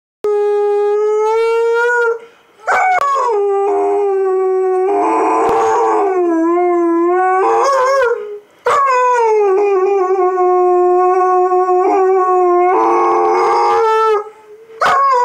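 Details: A female pet dog named Lola howling in the morning: long sustained tonal howls with stacked harmonics, gliding and wavering in pitch, broken by brief pauses and rougher, noisier yowling passages.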